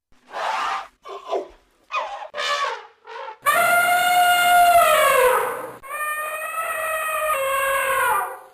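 A voice names the elephant twice, then a loud, brassy elephant trumpet blares for about five seconds.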